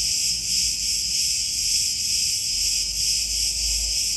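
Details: Many cicadas in the olive groves of Crete, Greece, making a shrill, unbroken electric buzz with slight swells in loudness and a soft low rumble underneath.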